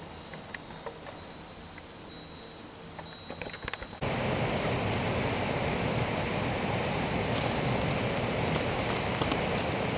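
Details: A cricket grooming itself gives high, even chirps about four times a second, later half-buried under a loud hiss.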